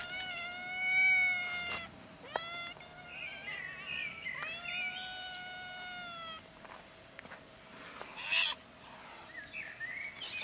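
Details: Cats gathered on a bench, a black kitten among them, give loud drawn-out meows, with a long wavering cry at the start, a short one near two seconds and another sustained call after four seconds, over faint background noise.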